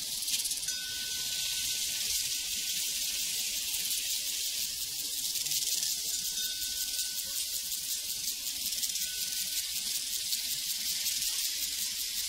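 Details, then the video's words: A constant wall of shrill cricket trilling over a prairie, rapid and unbroken, joined by occasional soft, clear cowbell notes ringing out. "Sounds from a Prairie Crickets and Cowbells"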